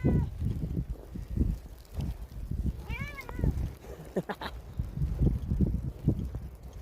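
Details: Behemoth, a black cat, outdoors while it is hailing and plainly unhappy about it. One short arched meow rises and falls midway, surrounded by crunching steps and pattering hail noise.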